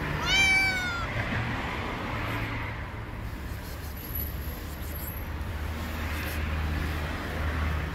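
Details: Loud stray cat living on the street gives one long, wavering, high meow right at the start, then only low street rumble and traffic noise for the rest.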